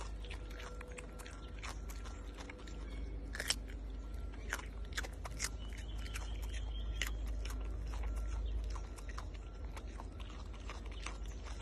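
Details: Malayan tapir eating a carrot, crunching and biting in quick, irregular bursts of about two per second, sharp cracking snaps over a steady low hum, with a few louder crunches midway.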